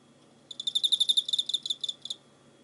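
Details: Cricket, 24 November 2016: one burst of about twenty quick, high-pitched pulsed chirps lasting under two seconds, loudest early then trailing off, over a faint steady low hum.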